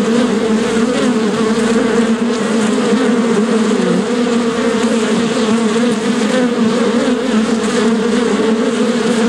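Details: Bees buzzing nonstop, a dense swarm-like drone with a humming low pitch and a wash of fainter buzzing overtones, no breaks.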